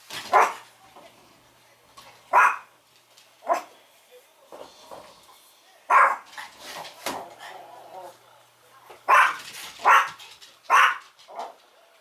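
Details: A Chihuahua barks wildly in sharp, high, yappy bursts when the door chime rings, before any training to stop the barking.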